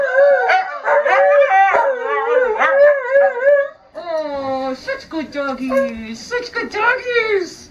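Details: Siberian Husky sled dogs, two of them, join a person in group singing: wavy howls and yips fill the first half, then a lower steady human-like tone with fading howls and soft voices.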